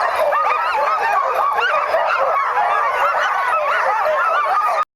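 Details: Pack of sled dogs, 2010, impatient to start sledding, crying out in a continuous shrill chorus of yips, whines and barks before cutting off abruptly at the end.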